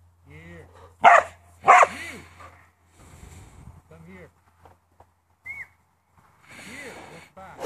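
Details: A farm working Border Collie gives two sharp, loud barks in quick succession, then soft whines and a brief high yelp over a quiet background hum.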